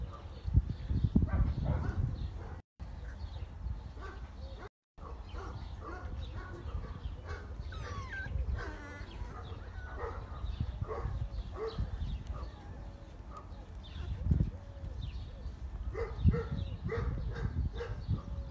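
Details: Several Saint Bernard puppies at play in a sunny garden produce high whimpers, thin yips and a few soft barks scattered across the recording over steady low background rumble and scuffling.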